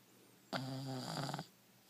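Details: One-year-old male dog named Buster sleeping with his head on a shin, giving a single loud snore: a buzzy, droning breath lasting about a second, in a quiet indoor room.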